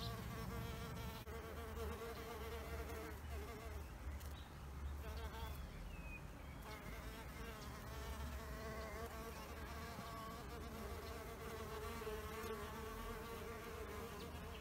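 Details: Several bees hovering at an insect hotel, a sustained buzzing drone that shifts in pitch as individuals pass by, dipping briefly in loudness around the fourth and fifth seconds.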